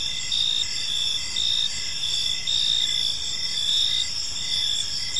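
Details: Several crickets chirp together in a park as evening falls, a high, rapidly pulsed trilling that swells and eases in short bursts over faint background rumble.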